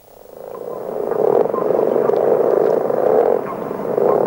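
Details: Common frogs, many individuals calling together in a chorus likened to a distant machine's hum or motocross: a dense, continuous low snoring drone fading in over the first second, with faint higher chirps scattered over it.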